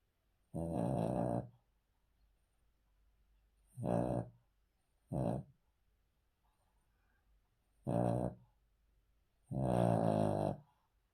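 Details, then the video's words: Cavalier King Charles Spaniel sleeping on the floor indoors, its snoring a series of five gravelly, harmonic snorts, short and long mixed, spaced irregularly two to four seconds apart in an otherwise quiet room. "Cavalier King Charles Spaniel Snoring"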